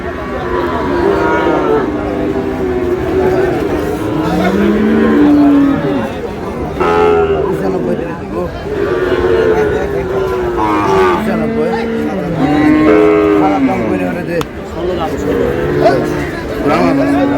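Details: At a Bangladeshi cattle market, Sahiwal bull calves bought by a Chittagong farmer on 28 August: a long series of moos, some short and some sliding down in pitch, follow one another against background talk.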